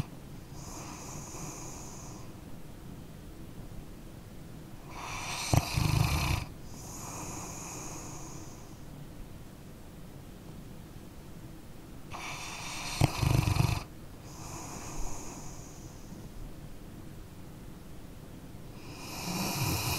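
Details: Sleeping dog snoring: loud, rough, snorting inhalations roughly every seven seconds, each followed by a softer, airy exhale with whistly upper tones, then quiet breathing before the next snore; no talking or other sounds.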